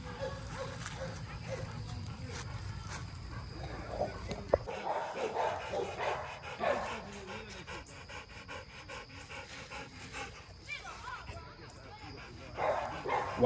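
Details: Rottweiler at MillCoop Rottweiler Kennels, one of several kennel dogs described as quality block-headed Rottweilers, panting in quick rough breaths with scattered short barks and yelps, over men talking and praising the dogs.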